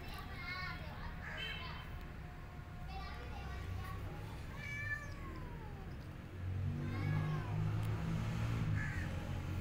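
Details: Feral cat Maya, weak after a miscarriage, gives a run of clear, high, wavering meows, several close together, then a falling mew; a low engine-like rumble grows louder near the end.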